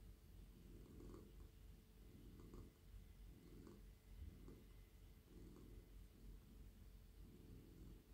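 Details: Steady low rumbling purr from a soft, friendly tomcat lying in a lap and being petted all over, pulsing in regular waves roughly every second and a quarter, with light brushing sounds of the hand.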